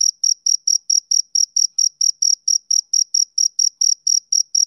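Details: A male cricket chirps in an even, rapid rhythm, roughly nineteen shrill pulses in under five seconds, bright and tonal, on a silent background.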